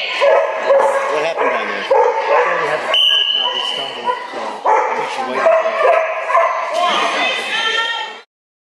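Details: Dogs at a flyball race during the Spring Fling Flyball Tournament, Dover Ice Arena, Dover, New Hampshire, April 2011: loud, harmonic barks and yips in rapid bursts, mixed with human voices and the echoing noise of an indoor arena.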